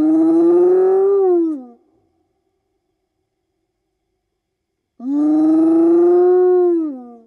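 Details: Two drawn-out whoops from a spotted hyena, used to keep in touch with fellow clan members across the African bush at night; each lasts under two seconds, rising slightly then sliding down, separated by three seconds of silence.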